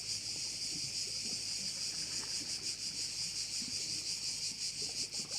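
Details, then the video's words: Many crickets shrilling together over a bay on the Croatian island of Korčula: a dense high-pitched buzz with fast pulsing and a few brief dips in loudness. "Korčula - view of one of the bays in Korcula with sounds of crickets"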